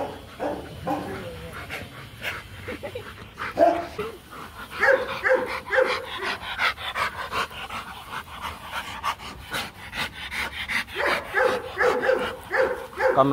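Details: During a Rottweiler mating in Hanoi, Vietnam, featuring Marvin Gervi and Kacyno Gervi, a dog pants and shuffles, then breaks into bursts of quick repeated whines midway and again near the end.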